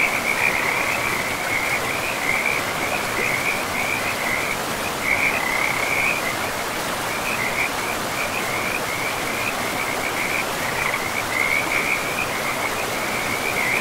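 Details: Frogs calling beside a river in a pristine, moss-covered forest: a dense chorus of high, rattling trills in one steady pitch band, pulsing almost without pause over the constant broad rush of flowing water.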